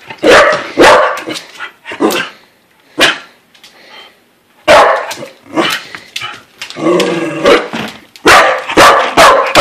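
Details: Corgis at dinner time, a daily scene after hearing the word "dinner", bark in sharp, rapid bursts, some barks coming close together in quick runs.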